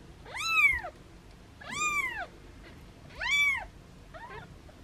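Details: Young foster kittens held in hands and meowing playfully, with their mother nearby: three bright, arched meows about a second and a half apart, then a shorter, fainter mew, against low background hiss.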